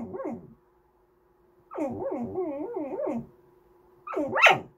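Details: Goldendoodle puppy fussing for snacks or to be petted, giving long, sing-songy whines whose pitch wobbles up and down in a continuous run, then a short sharper rising yelp at the end; a faint steady hum underneath.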